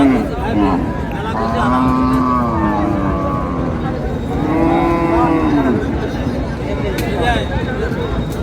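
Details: Cow lowing at a cattle market in Dinajpur, Bangladesh, where thin dairy cows are sold: two long, wavering, harmonic moos with a falling then arching pitch, over constant crowd chatter and traders' bargaining voices.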